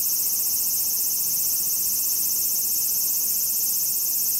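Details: Late-season large brown cicada singing hard in autumn despite lost summer energy; an even, high, hissing drone that never pauses, clean of other sounds.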